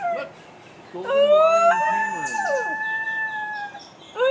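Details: Several New Guinea singing dogs howl together in a zoo enclosure at Palm Beach Zoo, with rising glides, a long sustained steady note and overlapping falling slides, ending on another sharp upward sweep.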